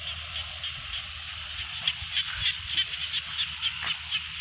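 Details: Frogs in a Thai rice field during rain, a continuous pulsing chorus of croaks with louder individual notes standing out at an irregular rate of about three per second, plus a few clicking knocks.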